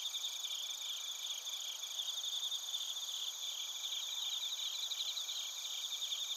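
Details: A chorus of bell crickets and other crickets recorded in Narita, Chiba Prefecture, Japan on a TASCAM Portacapture X8: continuous high, buzzy trills layered with ringing chirps, steady in loudness.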